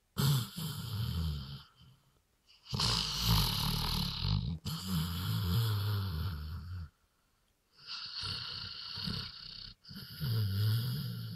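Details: A dog from a sawmill, given three beers, 'talks' in a series of hoarse, wheezing groans. Several second-long utterances, some with low humming tones, are broken by brief pauses.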